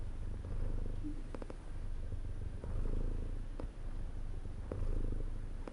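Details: A cat purrs contentedly in a deep, buzzing rumble that pulses with its breathing roughly every two seconds; brief faint clicks sit above the steady drone.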